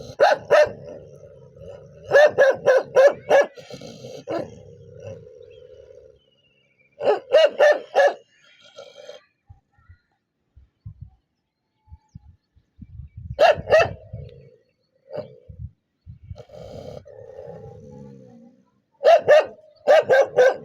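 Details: Angry dog barking in repeated clusters of three to five rapid barks, separated by stretches of low growling and a sustained whine-like tone, over about twenty seconds.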